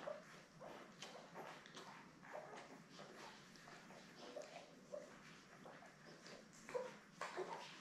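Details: Newborn Labrador Retriever puppies, seven in the litter, born May 24, 2021, with mother Belle, on a live puppy cam on June 3. Faint high squeaks and brief whines sound now and then, clearest near the end, over steady shuffling and rustling.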